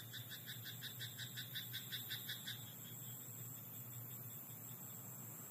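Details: Frog in a rice paddy after dark: about eight quick, rattling croaks in the first two and a half seconds, then only a low steady hum and faint background hiss.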